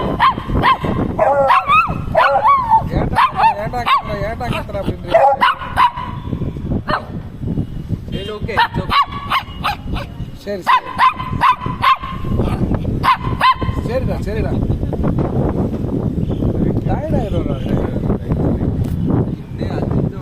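A small dog, a Shih Tzu, voices a varied string of whines, moaning howls and brief yips, rising and falling in pitch. People talk over much of it, and the dog's sounds fade into their chatter toward the end.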